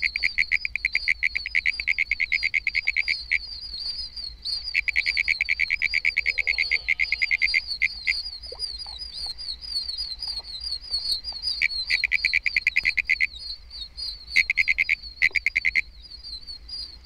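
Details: In Florida, a pinewoods treefrog (Hyla femoralis), a small dark frog of pine flatwoods, gives a fast, high, rattling trill of clicky notes in rapid bursts.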